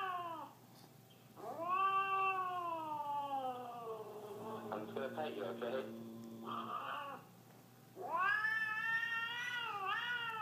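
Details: Siamese cat in an indoor setting, apparently unwilling to be shown affection, giving long drawn-out yowling meows that rise and fall in pitch; three separate yowls with a brief human voice between them.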